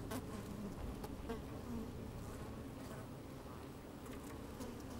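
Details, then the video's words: Busy honey bees inside a hive opened on a sunny, slightly windy day; a quieter, even drone fills the clip, with low rumbling underneath and a few faint individual buzzes. "Open Beehive - One Hour Video and Audio"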